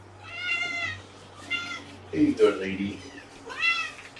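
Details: Young kittens, three males and one female, with their mother cat at lunchtime after transfer from a shelter in Lewis County, Washington, while being handled. High, rising-falling meows come in three bursts, with a person's low voice briefly in between.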